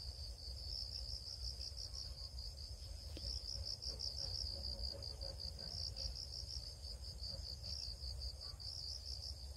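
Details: Crickets chirp with a thin, high trill of rapid pulses, briefly softer near the start and then steady. A single sharp click sounds partway through, and low rumbling noise continues.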